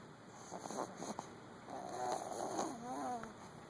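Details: Luna, a sleeping female dog described as overweight, snoring indoors: rough, rasping breaths in short uneven bursts early on, then a longer drawn-out nasal snore swelling and fading in the second half over a steady faint room hiss.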